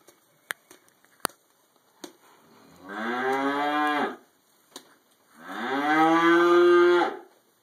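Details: Two drawn-out moos from cattle in a barn where a cow eats hay, each lasting over a second with rich stacked harmonics, separated by a short pause with soft clicks of chewing and shuffling.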